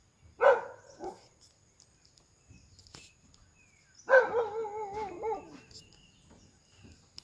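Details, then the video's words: Big-eared dog barking at game animals while hunting in the forests of Iscuandé: two loud, harmonic bark bouts, a short sharp one near the start and a longer, wavering, drawn-out bark about four seconds later, with quiet gaps between. "PERRO OREJON LADRANDO"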